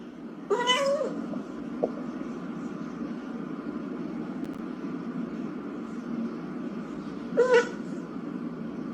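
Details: Excited domestic cat giving two short, rising-then-falling harmonic meows, one near the start and one near the end, separated by a long gap filled with a steady low hum and soft background music.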